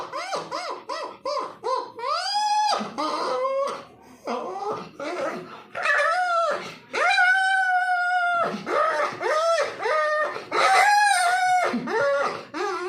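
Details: Puppy whining and crying indoors, a series of tonal, harmonic whines that arch up and fall, some long and drawn out, others short and clipped, repeated irregularly with brief gaps between calls.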